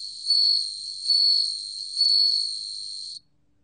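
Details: Ringing song of a bell cricket: three loud bell-like swells spaced under a second apart over a steady high tone, which then stops abruptly, leaving silence.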